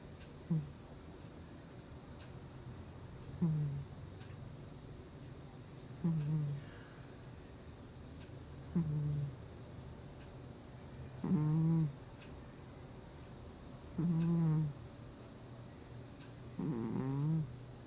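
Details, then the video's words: Gnusmas, a domestic cat, snoring in its sleep indoors in August 2020: low, rasping, harmonic snores returning roughly every three seconds, some longer and louder than others, over a quiet room with faint ticking. "Кот храпит во сне"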